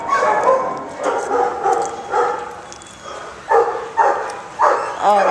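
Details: Dog giving a run of short, mid-pitched barks, softer and spaced at first, then three louder, sharper barks in quick succession near the end.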